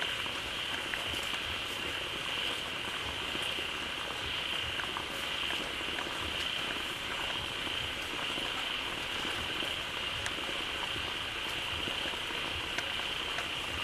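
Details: A crowd of frogs fills a pond newly fed by a flowing waterfall, calling loudly in a thick, boiling, rain-like wall of sound with an unbroken shrill hum over the top.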